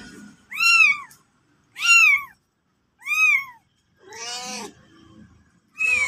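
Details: Mother cat and kitten: loud, high-pitched mews, each rising then falling, repeated about every 1.2 seconds, five calls in all, one harsher and noisier than the rest.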